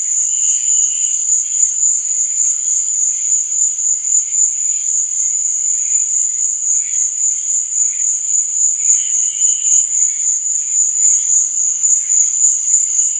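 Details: Nighttime crickets keep up a dense, high, ringing trill without pause, while quieter pulsing chirps surface briefly near one and nine seconds.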